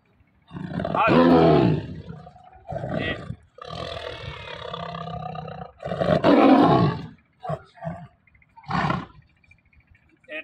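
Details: Captive Bengal tiger kept by an animal trainer, giving several rough, gravelly roars of uneven length, the loudest near the start and middle, followed by shorter bursts with brief silences between them.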